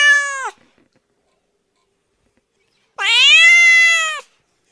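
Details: Domestic cat, sounds made for a bored house cat: a brief downward meow, two seconds of silence, then a longer, strong meow that rises and holds before fading, nothing else audible.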